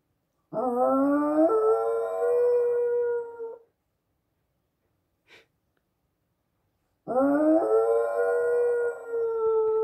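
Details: A Chihuahua Dachshund mix (Chaweenie) gives two long, wavering howls that rise sharply, then level off and hold.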